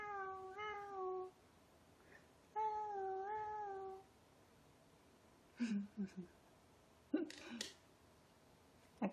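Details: Quiet weekend with the Ragdoll pair Ao and Aki, aged two years eight months and two years four months: two drawn-out meows, each over a second long with a gently wavering pitch, then soft thumps and rustling.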